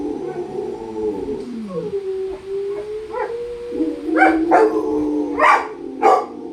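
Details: Rottweilers howling: a wavering tone slides down, then holds steady and level, followed by a run of short, rough yelps near the end.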